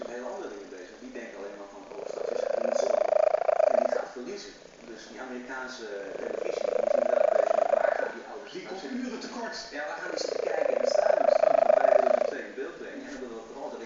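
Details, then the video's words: A plump pet cat asleep and snoring: three long, rasping snore breaths lasting roughly two seconds each, spaced evenly about four seconds apart, with soft exhales between. "snoring cat"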